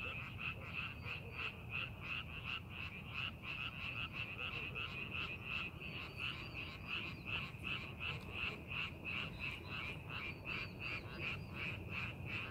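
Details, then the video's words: Frogs calling in rice paddies being prepared for farming, a dense chorus of rapid overlapping croaks around three per second, bright and rasping, continuous over low rumbling background noise. "농사준비하는 논에서 개구리 울음소리"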